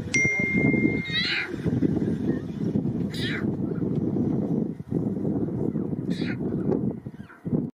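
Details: A lion cub communicating with its mother gives short, high, rising-and-falling mews over a steady low rumbling background.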